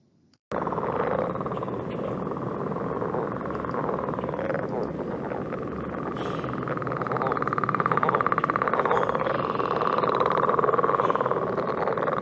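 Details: Northern leopard frog (Lithobates pipiens) in Ohio gives its advertisement call, a low, guttural, snore-like rattle punctuated with clucks and chuckles, with a woodpecker calling in the background.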